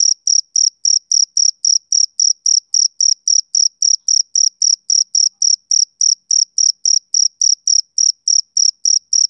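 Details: Male cricket chirping: short, pure, high-pitched pulses repeated steadily about three or four times a second, each with a faint higher overtone, against complete silence with no other sounds.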